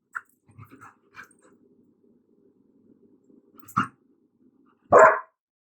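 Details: Untrained dog indoors reacting to a vacuum cleaner, now switched off: soft low grumbles and faint yips early on, then two sharp, loud barks about a second apart near the end, with quiet room noise between.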